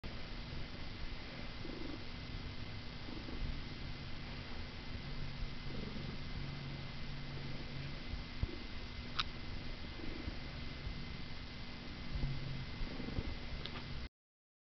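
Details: A Siamese cat purrs steadily while being brushed, a low continuous rumble throughout.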